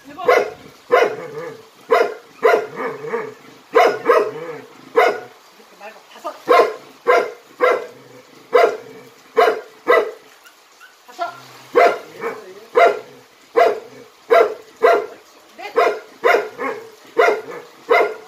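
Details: Jindo dog from Jindo County, Korea, performing jump-rope tricks. Short, sharp, rhythmic barks repeat about every three-quarters of a second, in bursts broken by a brief pause midway. Faint human voice commands are heard around them.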